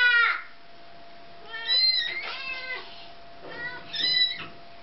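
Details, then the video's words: Crying kitten, handled by a toddler before the mother cat takes it back, gives three high, harmonic wailing meows, each falling or wavering and about a second apart, with a faint steady hum underneath. "Mama Cat Takes Back Crying Kitten From Toddler"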